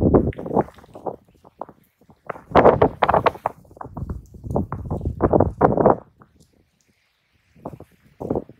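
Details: Two raccoon dogs fighting in earnest, crouched and squared off. Dense rasping growls and scuffling run for about six seconds, then a silent pause before two short rough bursts.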